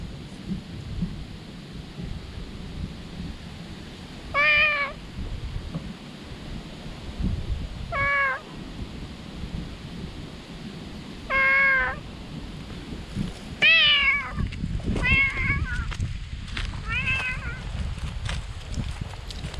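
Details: Joyful stray cat from under a shady tree calls loudly on spotting a person: six drawn-out meows, sparse at first, then quicker and overlapping near the end, set against a low outdoor wind rumble.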